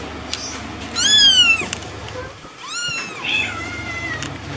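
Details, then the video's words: Kittens mewing in piercing, high-pitched cries, three drawn-out meows that arch up and then fall, over a quiet background hum. "Kittens meow"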